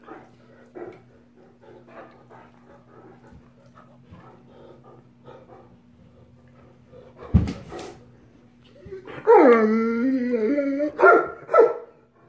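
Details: Two Great Danes playing rough together indoors; soft scuffling and snuffles, a sharp thud, then a loud drawn-out whining howl that wavers and falls in pitch over about two seconds, followed by a shorter whine near the end.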